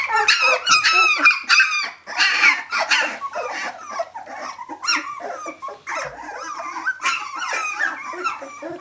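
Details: Puppies, 17 days old, calling for their mother indoors: dense overlapping high squeaks and whimpers, rising and falling, several pups at once in a rapid chorus with brief pauses.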